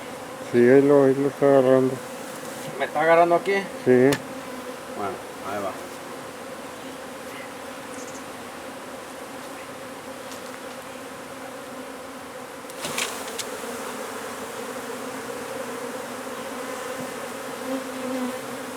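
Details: Honey bee colony being removed from under a wood pile in McAllen, Texas: after several seconds of a man talking, a steady low droning hum of many bees fills the rest, with a brief clatter near the middle.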